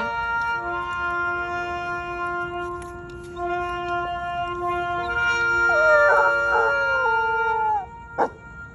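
A Weimaraner howls along with sustained instrumental music, its voice wavering and sliding downward.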